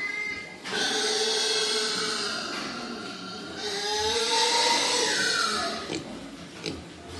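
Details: Breeding-stock wild boar on Cô Út farm let out long, drawn-out squeals. The tones are strained, wavering and slightly rising, held for several seconds, then stop abruptly, followed by a couple of short clicks.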